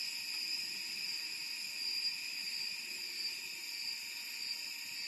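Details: A summer cicada chorus in Da Lat, a mountain city in Vietnam's Central Highlands, forms a steady, shrill high buzzing drone with several layered tones.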